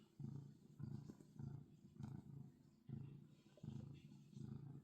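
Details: Domestic cat purring while kneading on a bed; deep rumbling purr in rhythmic cycles of breathing in and out, roughly every half second, close to the listener.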